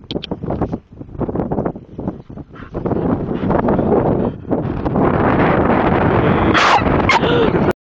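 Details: A female Staffordshire Bull Terrier, not in pain, makes rapid, chattering, chimp-like hoots and whines.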